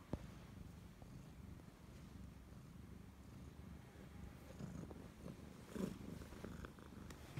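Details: Low, gentle purring of a pet Siamese cat that keeps close to its owner, a soft continuous rumble that grows a little stronger toward the end, with a couple of small rustles and taps.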